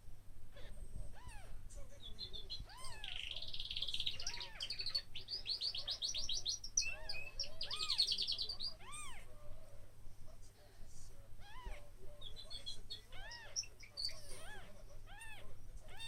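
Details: Newborn kittens, one day old, give a steady run of short, squeaky rising-falling mews, often in quick pairs or clusters. Bright bird trills and chirps sound behind them.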